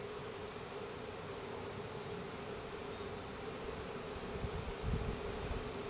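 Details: Steady, dense droning from a package of roughly 10,000 Russian/Carniolan hybrid honey bees with their queen, installed into a new hive in April 2012; a continuous mid-pitched hum with a brief low rumble about five seconds in.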